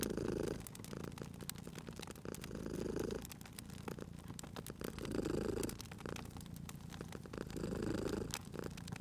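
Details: Purring cat lying at a crackling fireplace; deep, even rumbling comes in clear rhythmic swells about every two and a half seconds, with bright crackles and snaps from the burning fire scattered across the recording.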